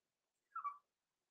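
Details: Overnight whimper from one of two blenheim Cavalier King Charles Spaniel puppies, Roman and Blue, aged six weeks and born November 14, 2022, in an indoor puppy pen: a brief, soft, slightly wavering whine of about a quarter second in quiet surroundings.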